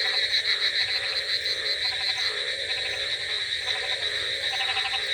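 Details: Rainy-night frog chorus, with clusters of quick rattling croaks recurring every second or so against constant rainfall hiss and layered high-pitched calling.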